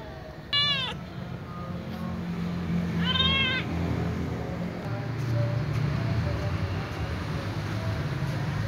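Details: A little ginger cat, playing and moving about while other cats stay quiet, gives two short, bright meows: the first falls sharply, the second arches about three seconds later. A low, steady rumble runs underneath throughout.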